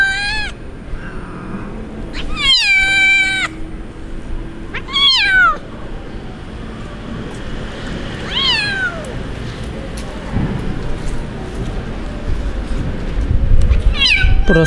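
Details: A kitten abandoned by its owner cries in the street with five bright, downward-bending meows spaced a few seconds apart, some strong and drawn out, over a constant low outdoor rumble.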